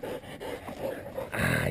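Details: Hunting dogs working a wild boar during a boar hunt while the hunter urges them on; short whining, yelping bursts repeat through the moment and end in a louder, harsher outburst, with the man's shouting nearby.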